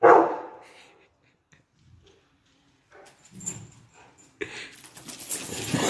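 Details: Rottweiler Efe, a pet dog, during play and a bone-eating session with an elderly man; a single strong bark opens, followed by quiet rustling, soft shuffling and scraping noises toward the end.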